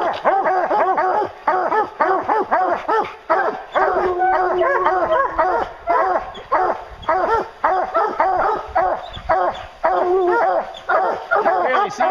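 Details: Several hounds on a bear hunt bay in a continuous, urgent chorus of arched barks and drawn-out bawls, one longer howl-like note rising from the pack midway.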